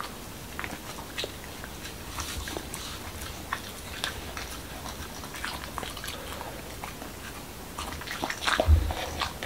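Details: Momo, a male Corgi in Washington DC, eats a dog-friendly taco of whole wheat shell, cucumber and lean ground beef indoors: irregular crisp crunches and wet bites, roughly four a second, with a louder chomp near the end.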